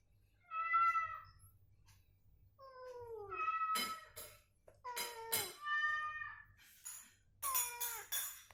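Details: Cats calling back and forth as a recovering cat is provoked with the same cat sound to make it move and vocalize: repeated meows, several sliding downward, some rising, about six calls with clicking noises between.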